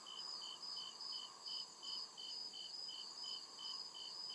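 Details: Crickets chirping at night in the deep woods of a forest: steady high pulsed chirps, about eleven evenly spaced beats over four seconds, layered over a continuous shrill insect buzz and a soft lower background hum.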